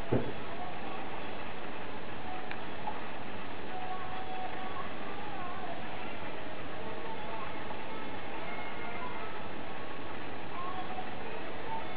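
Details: A steady low rumble of broadband noise with faint tonal traces and no clear animal voice.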